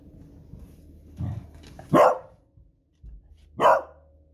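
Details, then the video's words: A Beagle, a female, gives two loud, sharp alarm barks about a second and a half apart, reacting to booming fireworks on a Friday evening during Matariki in New Zealand. "Cute Beagle Barking at Fireworks Noise"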